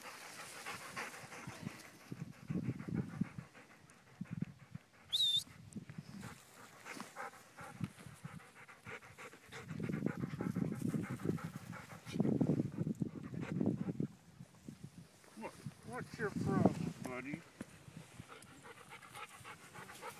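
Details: Dogs on a puppy hike with a visiting adult therapy dog, chasing a favorite toy; soft intermittent panting among rustling, footsteps and low thumps, with a brief high squeak midway, outdoor setting.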